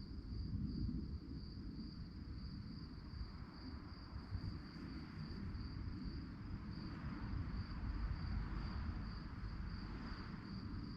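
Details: Crickets chirping at night: a steady, high, rapidly pulsed trill runs unbroken through the whole stretch over a deep, constant low rumble.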